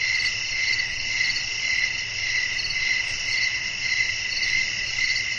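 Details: Evening cricket chorus in a calm natural setting with wind: bright, high pulsing chirps repeating near two per second, stacked shrill tones holding steady throughout, light low background noise.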